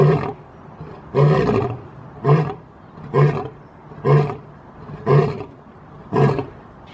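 A lion gives a series of deep, throaty grunting roars, about one per second.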